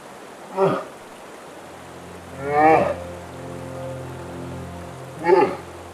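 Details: A brown bear cub bawls in three loud, wavering wails, apparently calling out for where its mother is.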